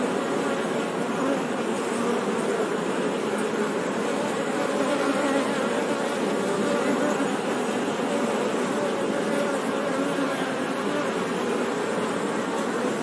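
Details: Honey bees buzzing: a dense, unbroken hum with steady loudness and a low, droning tone, holding even throughout with no other clear sounds.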